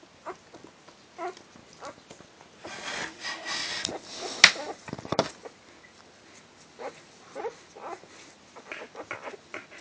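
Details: Four-day-old newborn Border Collie puppies give thin, high squeaks and whimpers at irregular intervals.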